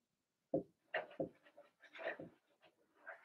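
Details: Young Blenheim Cavalier King Charles Spaniels, part of a six-puppy litter in an indoor pen, making a string of short squeaky yips and grunting whines that run into one another with scarcely a gap.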